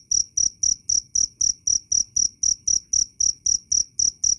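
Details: Clear cricket chirping meant for songbird training, therapy and repelling rats: piercing high pulses, each with a doubled ringing tone, repeated in a quick, even beat of roughly four per second.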